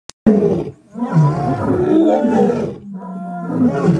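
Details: Lion giving a deep, rough roar that rises and swells into a long growling rumble, dips briefly, then continues as a steadier low drawn-out moan.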